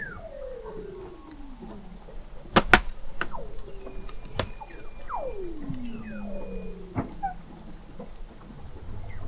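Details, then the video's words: Under Antarctic sea ice in McMurdo Sound, November 2017, Weddell seals produce falling whistles, one sweeping down into a long low tone, mixed with sharp broadband clicks and a faint high steady tone. "Song of the Antarctic Weddell Seal"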